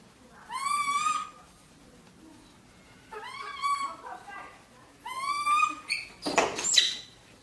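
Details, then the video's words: Pet monkey Sam, kept in Vietnam, exploring its owner's bedroom: three clear, tonal cries rising then falling, each about a second long and spaced by short silences, ending in a rough, noisy burst. "Monkey Sam Discover Mom Bedroom, Sam Screams When Sees ..."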